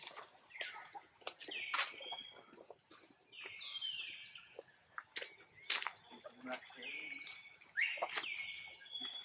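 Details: A tiny young monkey gives high, thin crying calls to summon its mother for help, over clicks and rustling.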